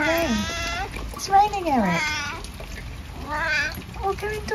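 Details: Eric, a 12-year-old tabby in the UK, out in the rain, utters several falling, plaintive meows over steady rain hiss, with a human voice overlapping some calls.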